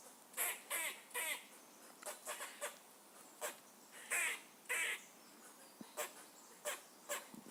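A squirrel gives harsh, raspy barks in uneven bursts, some with a squeaky rising edge.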